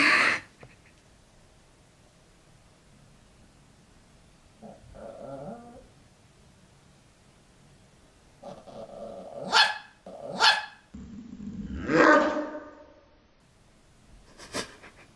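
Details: A dog angrily protesting in three escalating stages after being told to sleep separately: soft grumbling whines, then sharp squeaky yelps and barks, a long wavering whine, and one last short yap, with a brief human voice.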